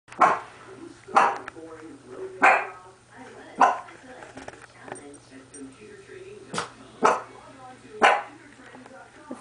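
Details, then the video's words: A small female Pomeranian indoors barking at something strange she discovered in the living room: sharp single yaps roughly every second or two, eight in all, with a person's voice murmuring between them. "Barking At The Intruder"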